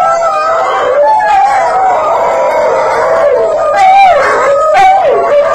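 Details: Rescued lower-mid content wolfdog howling with two rescued coydogs, protesting from separation anxiety as their owner leaves; loud, sustained, wavering howls that rise and fall, with overlapping voices throughout.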